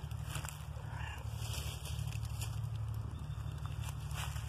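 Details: Gray male cat purring while being petted and given tummy rubs on a walk in the woods, rolling over and reaching toward the phone; steady low rumbling purr pulsing about twice a second, with faint rustling and crackles.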